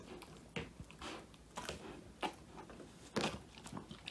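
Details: Woody, a male Old English Sheepdog, biting into a whole quail treat for the first time, phone recording in a small room: a few loud separate crunches spaced about half a second to a second apart, quiet between.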